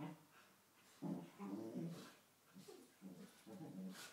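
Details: Two male Cocker Spaniels trade low, rumbling growls in short bursts while play fighting in the morning.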